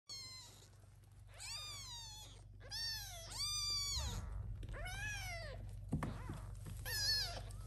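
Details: Little kittens, some adopted by the mother cat, meowing loudly so she will come and feed them; high, arching meows with rich harmonics, one after another in quick overlapping bursts, over a low steady hum.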